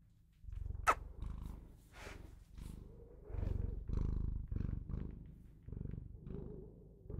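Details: Bengal cat purring close up: a low, rumbling vibration that swells and fades in steady breaths, with one sharp click near the start.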